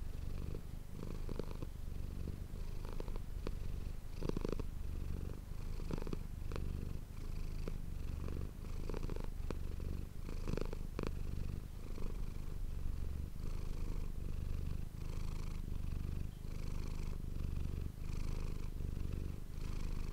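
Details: Deep, continuous purring from the cat Manis, recorded on an ASMR microphone. The rumble swells and eases in regular inhale-exhale cycles, and faint higher rustling accompanies many of the pulses.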